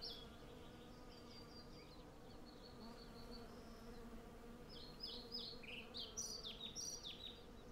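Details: A blossoming cherry tree is worked by hundreds of foraging western honey bees, recorded with a Zoom F6 and Sennheiser MKH 8040, their even, layered drone steady beneath a flurry of high twittering birdsong near the end.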